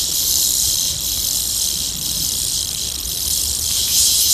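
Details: Warning sound of a rattlesnake tarantula in Queensland, Australia, produced by rubbing the fangs together ahead of an attack; a continuous sharp, airy hiss, bright and high, swelling faintly a few times.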